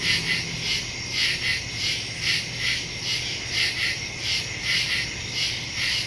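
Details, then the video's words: Nighttime woodland chorus of crickets, captured September 2, 2023 with a phone and Shure MV88+ stereo mic; shrill chirps pulse in regular bursts about every half second above a continuous high trill and faint low hum. "Crickets in the woods at night"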